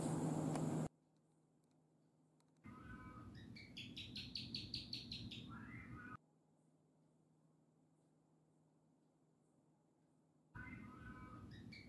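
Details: Gecko on a wall making a mating call: a quick series of about eight sharp clicking chirps, with abrupt cuts and a brief loud noise at the start.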